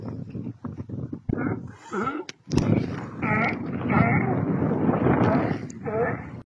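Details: At Isla Alcatraz in Bahía de Kino, Sonora, Mexico, sea lions give wavering, bleat-like calls that rise and fall. Sharp knocks open the recording, followed by a steady rushing background.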